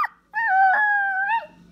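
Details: Pet dog calling its owner, whom the family calls daddy: one long, drawn-out, tonal howling whine lasting about a second at a steady pitch, dipping slightly at the end. A brief squeak comes before it, and the room is otherwise quiet.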